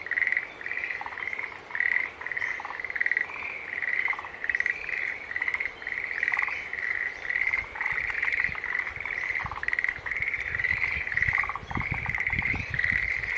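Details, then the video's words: Steady chorus of green tree frogs, with many pulsed, honking calls overlapping in a regular throb of roughly two beats per second, plus occasional lower clicks and a few thuds near the end. "Sounds of Green Tree Frog Call"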